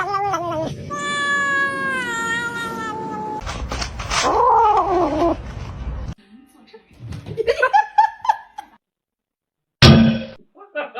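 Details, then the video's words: Domestic cat meowing: a long drawn-out meow with a slightly falling pitch, followed by a wavering caterwaul-like call and a few shorter chirpy meows, with people talking and brief background noise. "cats meowing"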